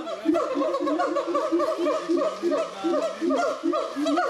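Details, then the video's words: Several gibbons singing together at the Zoo de Doué la Fontaine, 2010, producing a dense, overlapping chorus of rapid bubbling hoots and short swooping notes with no pause. "Le chant des Gibbons, singing Gibbons"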